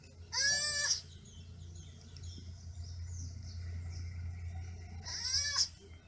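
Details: Young sloths calling with two short, nasal bleats, one near the start and one near the end, each sliding downward in pitch, separated by a stretch of low steady hum.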